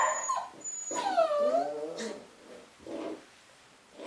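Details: Cavapoo puppy from a new litter gives a long falling whine with a wavering tone, followed by a couple of softer muffled yelps.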